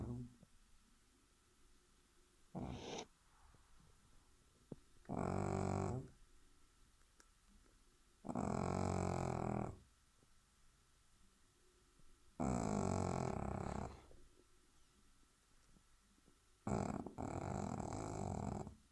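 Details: A Shih Tzu puppy, relaxing after a whole day, snores in slow, rasping bursts, each breath lasting about a second.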